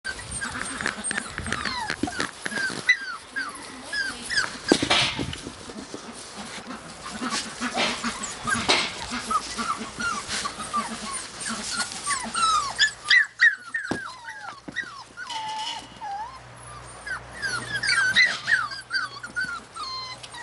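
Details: Australian Cattle Dog puppies in Slovakia whine and whimper together in a steady stream of high, bending cries.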